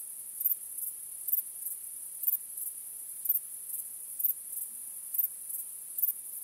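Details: Night crickets under a starry sky, a continuous very high trill overlaid with sharper chirp bursts about every second, fairly regular, with a quiet background.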